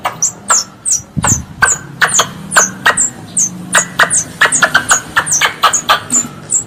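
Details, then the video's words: A pest squirrel calls for its mother with rapid high squeaks, each falling note joined to a crisp click. Around twenty of them come in quick succession, and a dull thump is heard near the start. "THE SOUND OF A SQUIRREL CALLING ITS MOTHER"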